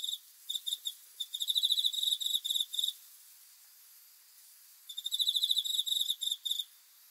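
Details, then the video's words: Cricket chirping at night: a few scattered short pulses build into a dense, high, ringing burst. Silence follows, then a second trilled burst that breaks into separate chirps. "귀뚜라미 소리"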